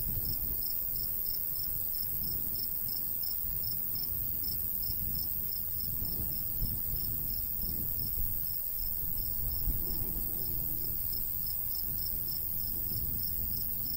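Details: High, rhythmic cricket chirping from a summer countryside wheat field, the pulses evenly spaced and continuous from start to end, set against a gentle, low breeze.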